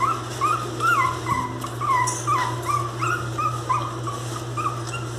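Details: Miniature pinscher puppies, described as angry, crying in quick whiny yelps that bend up and down, coming in a rapid, irregular series against a constant low hum.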